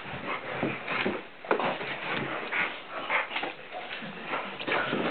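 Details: Tantrum, a Blue Nose Pit Bull, rough-housing and horse playing with a person: short high whimpers and yelps break through constant scuffling, panting and thumps, with a human voice now and then.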